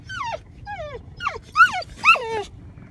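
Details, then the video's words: Boxer dog seeing an elk herd for the first time, giving a run of five high whining whimpers, each sliding downward, the later ones louder and more strained, in quick succession. "Boxer Dog: 1st time seeing Elk herd"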